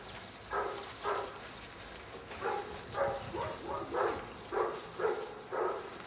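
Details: Seven-week-old Airedale Terrier puppies of an L-litter give short, rough vocal bursts, about nine in steady succession nearly two a minute's beat apart, each roughly half a second long, over a faint background hiss.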